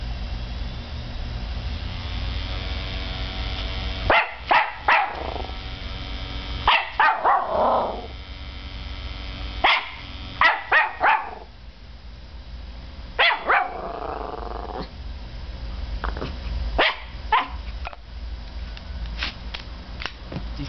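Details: Norfolk Terrier puppy, five months old, barking indoors in reaction to a CD spinning up in a computer; sharp yapping barks come in short bursts, with a person speaking and music in the background.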